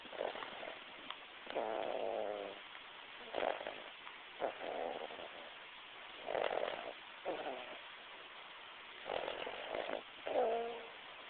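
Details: A sleeping dog snoring: rough, buzzy breaths repeat every one to two seconds, some with a faint whining tone at the end, in a quiet room.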